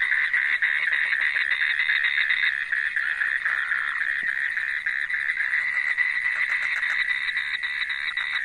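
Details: Monsoon breeding chorus of Indian toads at a Western Ghats mating pond, bright yellow males in breeding frenzy; an unbroken wall of rapid, rasping trills from many callers, overlapping and steady throughout.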